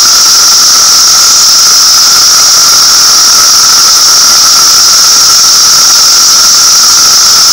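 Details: Cicadas producing a continuous piercing buzz at full volume, a steady high-pitched band over a weaker lower tone, unchanging throughout with no breaks or other sounds.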